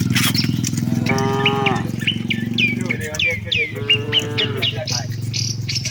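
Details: Docile cows heading to their shed with the herd: two sustained moos, the second slightly falling at the end, with a constant deep hum and busy chirping birds around them.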